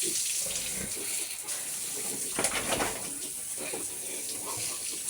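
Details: Steady hissing flow of running tap water fills the recording, with faint splashes and no animal call.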